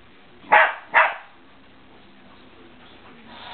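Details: Remy the dog barking at a remote control car: two sharp, loud barks about half a second apart near the start, then quiet room noise with a faint rising hiss at the end.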